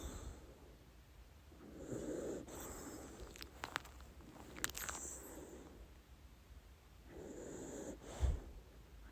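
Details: Dachshund named Lady Ruby snoring while asleep and dreaming; soft breathy snores swell and fade at irregular intervals, with a few sharp clicks and brief snorts between breaths in a quiet room.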